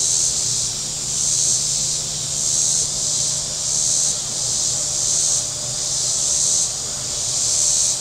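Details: Cicadas calling from the shore of Table Rock Lake in southern Missouri on a very warm day: a loud, hissing whine rising and falling in regular surges about every second, with a low boat hum.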